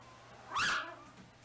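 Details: A black mini toy Chihuahua gives a single short, sharp, high-pitched yelping bark with a quick rise and fall in tone, then quiet with a faint steady hum.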